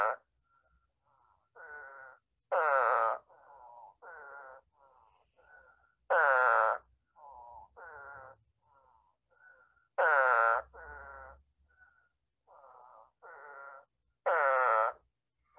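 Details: Spadefoot frog from Long Island, calling from a rain puddle with head thrown back and voice pouch inflated. Loud, nasal, bleating calls come about every four seconds, with softer, shorter calls from other frogs in between.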